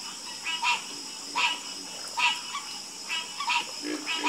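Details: Frogs croak together in a calm chorus. Sharp, bright croaks come about every 0.7 seconds, with softer low calls between them and a constant high shrill hum behind.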